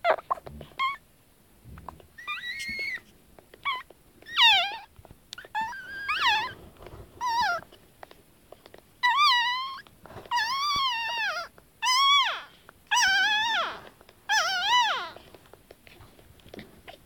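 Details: Pug puppies about twenty minutes after birth, moving around a warm basket, give their first sounds: thin, high squeals that bend up and down in short repeated bursts.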